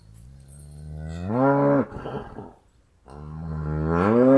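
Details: Cattle mooing in two deep, harmonic calls; the first rises and then drops off into a rough, breathy tail, the second builds steadily louder to the end.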